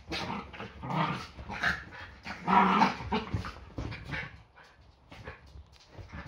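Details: Yorkshire Terriers play fighting at home, as they do most mornings before breakfast. Rough growls and snarls come in irregular bursts, loudest in the middle, then fade into softer scuffling.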